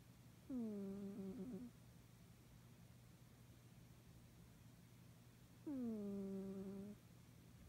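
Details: Male pet cat snoring very softly in his sleep, two slow, low, humming breaths about five seconds apart, each slightly falling then steady, with near silence and a faint room hum between them.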